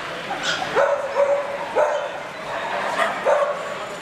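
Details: Welsh Springer Spaniel at a dog show in Murcia on 12 November 2016, in the junior bitch class with Fable, Holly and Arwen; sharp, clipped barks come roughly once a second, five in all, over a low murmur of hall noise.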